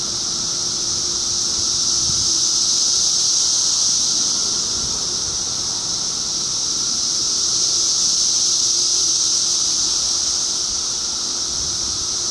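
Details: A throbbing wall of cicada sound in 2013: shrill, continuous and high, pulsing slowly louder and softer in long waves.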